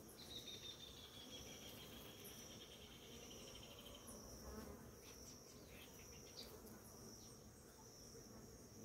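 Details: Many bees feeding at flowering ora-pro-nobis in the morning, a steady low humming buzz of the swarm under a constant thin high insect tone that runs through the whole stretch, with soft rustling.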